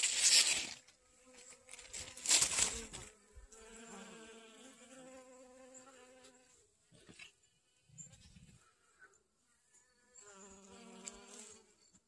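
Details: Honey bees gathering pollen on garden sunflowers, 25 August 2021; loud rustling bursts open, then a wavering buzzy drone comes and goes, fading mid-way and returning near the end.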